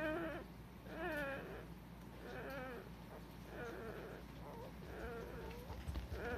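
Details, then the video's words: Young Cardigan Welsh Corgis, Nabe's pups, recorded 21 February 2020, whimper steadily with wavering, slightly nasal cries repeated about once a second over a soft background hum. "コーギー・カーディガン ナーベの仔達"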